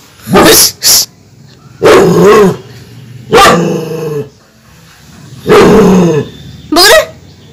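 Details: An angry female pet German Shepherd gives loud, harsh barks in short bursts, some doubled, separated by brief pauses.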